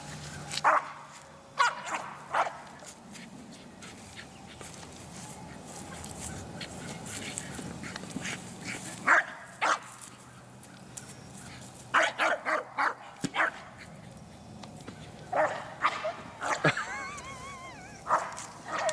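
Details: American Eskimo Dog, a white-coated Nordic Spitz breed, giving sharp irregular barks in scattered bursts, with clusters of quick yips and a thin wavering whine near the end over low background hum.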